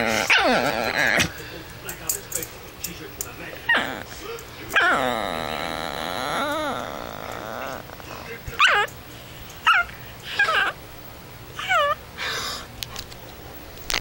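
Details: Pet chihuahua trying to sleep, giving loud wavering whines and yelps: a long warbling whine around five seconds, then short rising and falling yips and squeals at intervals, with one brief spoken phrase at the start.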